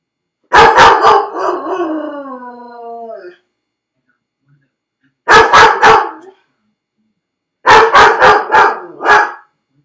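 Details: Dog Felix, shut in a dog crate while left home alone, barking and crying: a burst of barks trailing into a drawn-out descending howl, then two later clusters of three to four rapid barks separated by silence.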